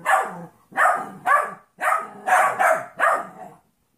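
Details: Puppy Trouble, a 14-week-old golden retriever mix, playing with Monkey, a 2.5-year-old jack russell/rat terrier mix. About seven sharp, rough barks sound in a row, spaced about half a second apart, then silence.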